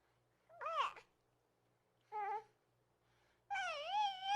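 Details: Reese, a baby hedgehog, cooing: three separate tonal calls in near silence, a short wavering rise-and-fall, a brief lower note, then a longer, clear wavering note with rich overtones.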